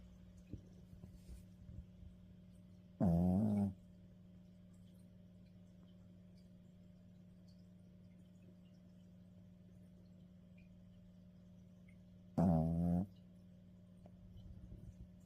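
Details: A Maltese dog in deep sleep snores twice, each a short voiced, harmonic rasp about nine seconds apart, with a steady low hum filling the quiet room between them.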